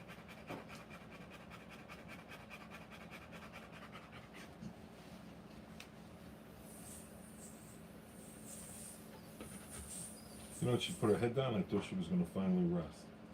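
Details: Rottweiler giving birth to puppies, panting steadily: soft, rapid, breathy pulses repeat several times a second for most of the recording, then human speech and handling noises take over near the end.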